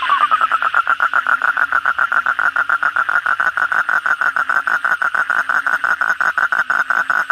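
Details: Kodok bangkong, the Asian common toad, calling at night after heavy rain: a loud, rattling trill of sharp pulses, about six per second, repeated steadily and without pause, with faint overlapping callers behind.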